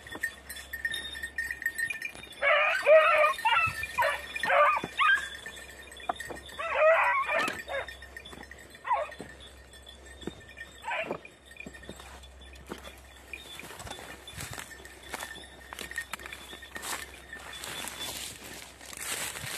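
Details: Beagle, red-blue tick and lemon-white, during hare hunting practice on Crete, Greece, in 2021. Hoarse, drawn-out baying barks come in bursts through the first half, then fade to faint scattered clatter and rustling.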